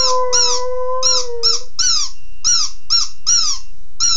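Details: Howling from a sad puppy after its toy: a level drawn-out note lasting under two seconds that slides slightly down at the end, then only music with sharp high chirping pulses.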